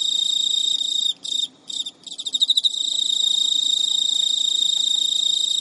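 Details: Male Emma field cricket, a caged pet in Japan, filmed at midnight in early September 2011, giving courtship song to an unreceptive female carrying an old spermatophore: continuous high trilling with brief gaps and a burst of loud ticks.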